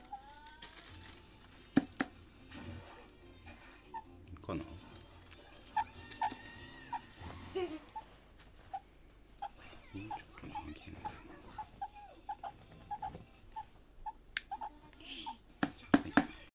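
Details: A pet meerkat gives short, high peeps repeated about every half second during nail clipping, with handling clicks and bumps.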